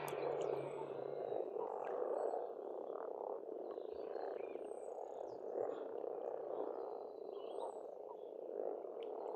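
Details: Dense springtime croaking of numerous frogs at a pond in Estonia, a constant rolling purr, with scattered chirps and short twitters of birds higher up and a faint low hum at the start.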